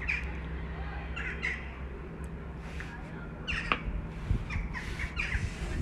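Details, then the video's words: Stray kitten living on the street in Istanbul calling for its mother cat: short, high mews repeated in quick bursts, several close together, over steady low traffic hum. "Kitten living on the street calls mother cat"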